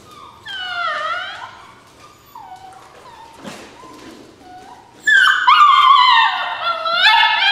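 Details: Several rescue puppies whine and yelp, opening with a falling cry, then soft single whimpers, then a loud, dense chorus of high, wavering whines that carries to the end.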